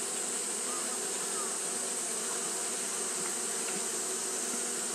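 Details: A colony of Japanese honey bees fans constantly on a hot day, giving a thick, level buzzing drone with a high hiss on top that holds steady from start to finish.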